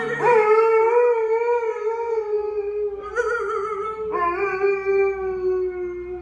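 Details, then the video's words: A nearly three-year-old female Alaskan Malamute howls along to violins in long, sustained tones that waver and slide gradually downward. "Alaskan Malamute howling"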